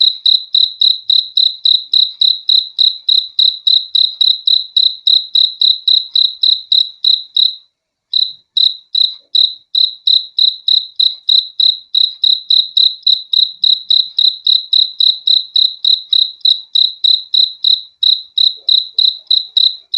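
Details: Relaxing night-style chirping of crickets, a thin, shrill tone beating in quick regular pulses for twenty seconds, broken only by a half-second hush near the eight-second mark.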